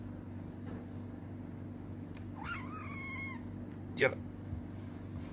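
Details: Black kitten rescued during a fishing outing meows once, a drawn-out cry that rises and then falls, while a man talks and there is a sharp knock and a low background hum.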